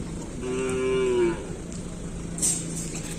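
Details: Cattle during full training for a Kerapan Sapi bull race at the Asemanis field, Pamekasan. One short, even moo slides slightly downward at its end, set against constant crowd murmur with a brief sharp noise afterwards.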